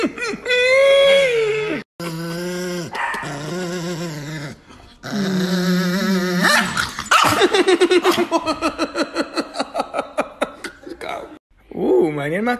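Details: Chihuahua in a home, giving short growls and whines, then a quick run of sharp yipping barks, about four a second for several seconds, with a person talking over it.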